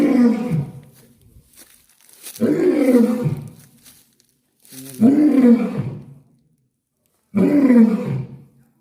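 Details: A captive lion at Dulahazara safari park, Cox's Bazar, gives deep, throaty roars, each a drawn-out groan that falls away, repeated every few seconds, while visitors urge it to call again.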